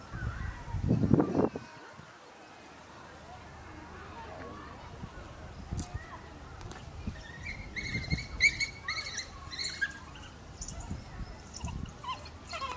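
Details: Young African wild dog siblings at Zoorasia in May 2017, six born 20 October 2016, resting on white clover on a hot day before squabbling over a piece of wood; bright chirping twitters in quick bursts near the end, with people talking.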